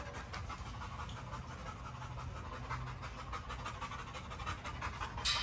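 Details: Quick breathy panting from a Great Dane, short airy strokes repeating steadily, ending with a brief sharp click.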